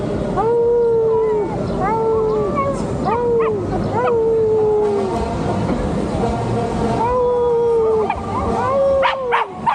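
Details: Pet dog howling while riding on a bike: a series of about seven drawn-out howls, each starting higher and sliding slightly down, roughly one per second, with short pauses between and constant rumbling road noise beneath.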